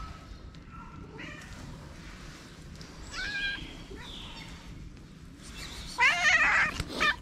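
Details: Stray cat on a street in Morocco greeting a person; several short meows of rising intensity ending in a loud, strained, wavering meow, with steady background hum.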